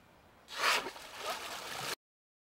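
A dolphin gives a sudden, breathy snort, a rushing burst of air that fades over about a second.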